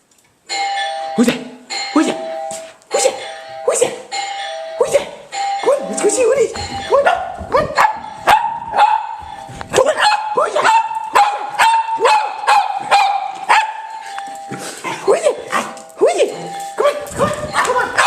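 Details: Pet dogs at home barking excitedly at a doorbell chime played on a computer: sharp barks come in rapid bursts among repeated ding-dong tones, while people urge the dogs on and laugh.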